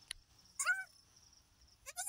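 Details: Goat on a farm giving birth to three female kids; two short, high, nasal bleats with clear harmonic tones, separated by a quiet gap of over a second, plus a faint click near the start.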